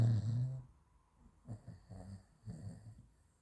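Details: Sleeping French Bulldog Raf, who also runs in his sleep, giving a short low snore at the start, then soft snuffling breaths roughly every half second, quieter and uneven.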